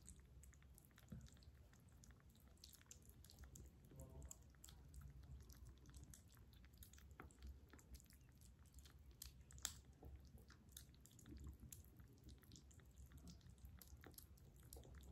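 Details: Kitten eating breakfast indoors, recorded close up: soft, irregular crunching and wet chewing with scattered sharp clicks of biting over a low steady background hum.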